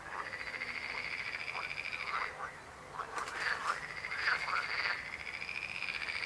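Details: Croaking frogs keep up a steady, buzzy pulsed trill, joined partway through by quick, rapidly repeated croaks from other callers overlapping in a busy chorus.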